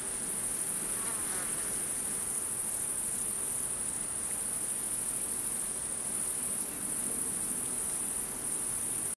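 Crickets keep up a steady, very high, shimmering trill, with softer insect buzzing underneath.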